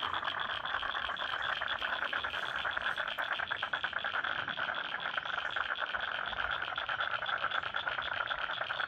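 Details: Many frogs in a wetland at Lane Cove National Park, Sydney, keep up a thick unbroken chorus of fast pulsed croaks and clicks, layered and steady for the whole stretch.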